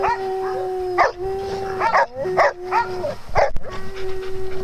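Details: Dogs at play on a farm, a sustained howl-like tone broken by several loud barks about once a second, low hum in the background.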